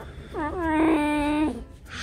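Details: Pet fox complaining indoors in the morning: one drawn-out, level whining cry rising quickly at the start, held about a second, then cut off, followed by a brief voice.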